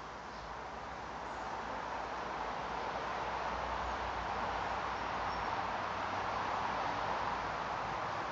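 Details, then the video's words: Honey bee swarm, all settled in at a farm, recorded 9 June 2012: a dense, steady, even buzzing hum that swells slightly in loudness over the clip, with a faint low rumble underneath. "Honey bee swarm all settled in at the farm"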